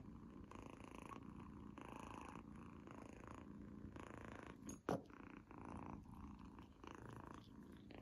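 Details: Young female kitten indoors eating a treat for the first time: soft rhythmic bursts of chewing and murmuring, each under a second, repeated steadily, with one sharp click midway.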